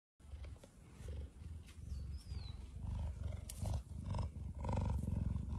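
A cheetah gives a deep, rumbling purr that pulses steadily about twice a second.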